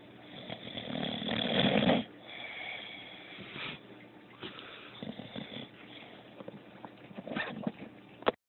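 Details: A female dog snoring while she sleeps: one loud, broad rasping snore in the first two seconds, then quieter, irregular breathy snuffles and short noisy bursts, ending with a sharp click.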